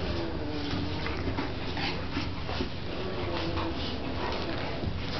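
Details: Pups at play with the dog Bronx: faint drawn-out whines and scattered yips beneath heavy steady noise, the calls barely rising above the hiss.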